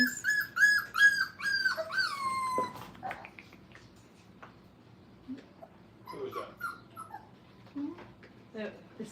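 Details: Five-week-old Brittany puppies playing at a training kennel, giving high, thin whimpers and whines that slide downward, rapid and overlapping for the first few seconds, then sparse faint squeaks and soft yips over low indoor background noise.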